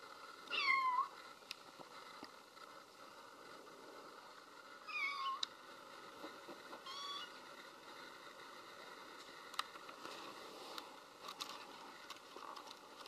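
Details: Five-week-old female kitten calling for her absent mother with two short, bright meows near the start and around five seconds, followed by quiet room noise with faint clicks and rustles.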